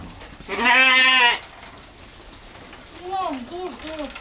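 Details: Sheep or lamb giving one loud bleat of under a second with a rich, harmonic, wavering tone, followed by quieter, shorter bleats that dip and rise in pitch, over light background hiss.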